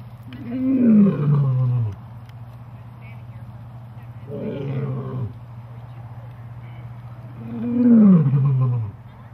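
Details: Captive big cats given Christmas presents: three deep, falling roaring calls, each about one to two seconds long, with a steady low hum throughout.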